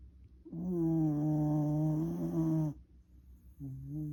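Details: Sleeping Shiba Inu, a former rescue dog, snoring loudly: a long droning snore of about two seconds with a steady low buzzing tone and rich overtones, then a short pause and the start of another snore.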